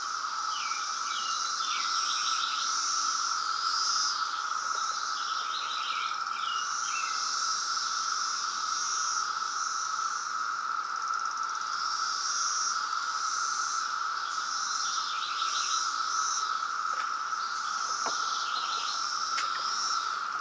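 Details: Periodical cicada brood emerging in Reston, Virginia, 2017, loud: a steady, unbroken droning hum fills the whole recording, while birds chirp and twitter in short bursts above it.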